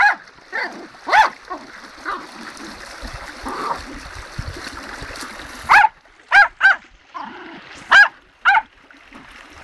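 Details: Dog beside a fast-flowing river with lots of bubbles, giving scattered sharp barks, a quieter stretch of softer yips in the middle, then a quick run of loud barks, all over steady rushing water.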